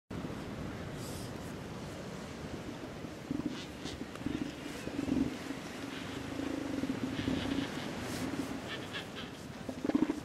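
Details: Elephant seals fighting over females: low, throaty pulsed roars start after a few seconds and repeat in uneven bursts, with faint scattered higher noise in the background.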